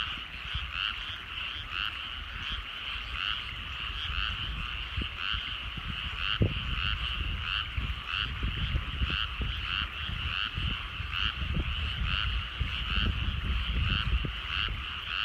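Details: Evening frog chorus over rice paddies at sunset in the countryside: continuous layered croaks pulsing steadily throughout, with scattered low thumps and rumble beneath.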